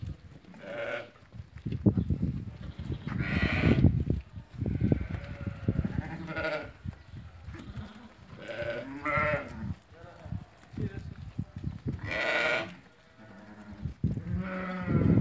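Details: Market flock of 80 ewes that have lambed, for sale in Fquih Ben Salah, giving frequent overlapping bleats of varying pitch at irregular intervals amid constant low crowd and handling noise.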